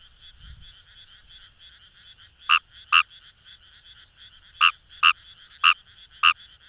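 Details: Paddy-field Kawamura's rice frog, Kamo River, Itoshima, Fukuoka, Japan: a two-second stretch of only distant chorus buzz, then six quick croaks in pairs and singles over the following four seconds.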